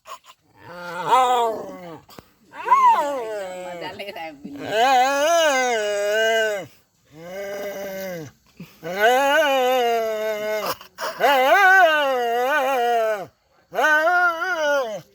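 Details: Pet dog making funny sounds: long drawn-out tonal howling moans with wavering, rising and falling pitch, delivered in five or six sustained bouts separated by short pauses.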